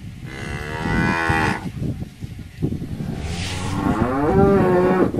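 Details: Cattle lowing with a long nasal moo, then a broken, wavering second moo that ends in a sustained tone, set against constant low-pitched background noise.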